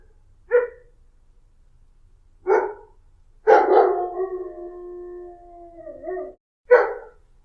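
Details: Dog uttering single short barks spaced a couple of seconds apart, then a drawn-out whining howl that holds a steady pitch before dropping away, followed by one more bark.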